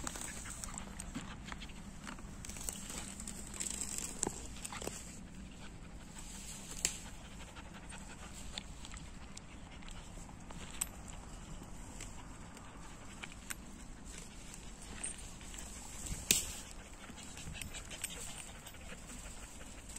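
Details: Outdoors in nature, a German Shepherd plays with its owner, breathing in quick, noisy pants that continue through the stretch, with scattered clicks and rustles and a constant low background drone.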